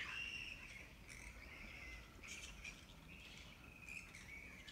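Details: Camp of grey-headed flying foxes beside the Wolli Creek walking track, Sydney: a continuous wavering, screechy chatter with drawn-out high notes and scattered sharp clicks, many animals calling together.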